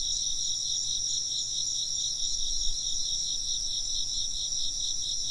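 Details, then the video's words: A dense insect chorus of continuous high-pitched chirping, layered shrill trills pulsing rapidly and evenly, with faint low rumble beneath. "風鈴の音と虫の声 - wind chimes and chirping insects"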